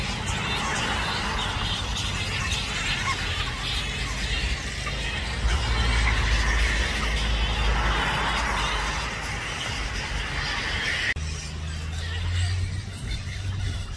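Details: Roosting grey-headed flying foxes, over 5000 animals, in suburban Balgowlah near Manly, Sydney, about 1 PM: continuous crowded squealing and bickering chatter, swelling in places, with traffic rumbling underneath and a sudden quieter stretch late on.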